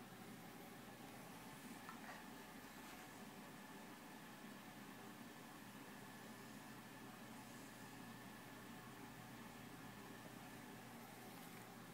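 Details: Continuous broad hiss and a low mechanical hum, like a running engine or appliance, with faint knocks and no clear voices.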